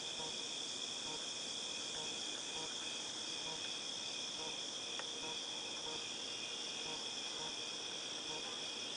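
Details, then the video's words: Cicadas, August 2018: an even, high, tinnitus-like ringing holds throughout, with a faint repeated pulsing buzz and one brief click midway. "Cicadas Tinnitus Sound"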